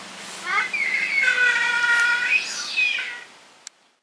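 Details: Captive giant otters at Chestnut Centre, Chapel-en-le-Frith, a family of six with two cubs, 25 June 2011: a sustained, slightly wavering harmonic whine that rises and falls for about three seconds, then ends with a faint click.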